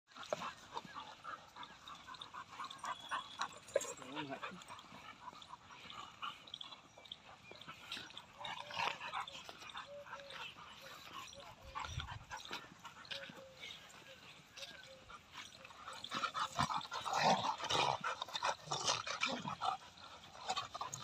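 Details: A Rottweiler fights four Labradors: a tangle of harsh growls, snarls and sharp barks in ragged, uneven bursts, with human voices speaking over the commotion throughout.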